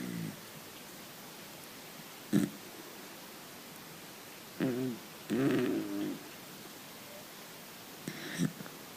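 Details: Sleeping dachshund snoring while dreaming: brief snorting bursts near the second and eighth seconds, and a longer rasping, throaty snore drawn out over about a second and a half midway, with quiet breathing gaps in between.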